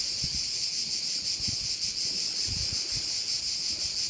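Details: Insect chorus of crickets at a bay on the island of Korčula in Croatia, a steady piercing high-pitched hiss with a fast, even throb, and soft wind thumps underneath.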